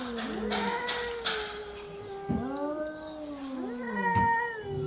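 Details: Orange and white domestic cat producing a run of long, wavering meows and drawn-out yowls, pitch sliding up and down, with a few sharp clicks between calls.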